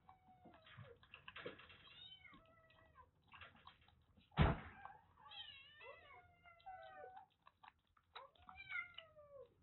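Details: Affectionate rescued female kittens, three and a half months old, saved from a hot attic in Japan, call repeatedly; a series of high wavering meows, several falling in pitch, with a loud thump midway and light rustling.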